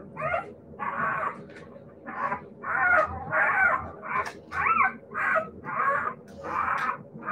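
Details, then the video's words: Siberian Husky puppies yipping and whining in a steady run, short nasal cries roughly every half to three-quarters of a second, about ten in all, with a low background hum. "siberian husky puppies"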